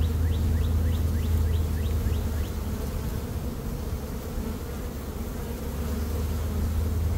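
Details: Swarming honey bees in early May, one of two swarms caught the same day after a dearth: a continuous deep, even buzzing hum, with faint high bird chirps in the opening seconds.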